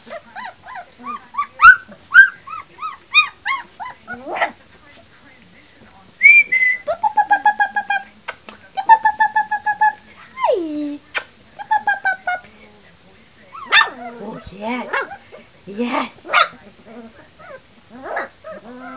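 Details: Three-week-old puppies give a run of high, thin whines and squeaky yelps in uneven bursts, with some quiet gaps and a few sharper cries.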